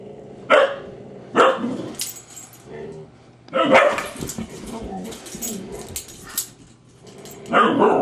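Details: Grouchy husky snapping at a teasing husky puppy; sharp loud barks and snapping bursts repeat irregularly, with rumbling growls and scuffling between them.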